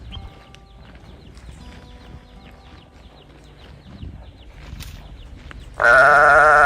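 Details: Calf searching for its mother: low background noise with faint chirps, then a sudden loud, nasal, wavering bawl near the end that runs to the cutoff.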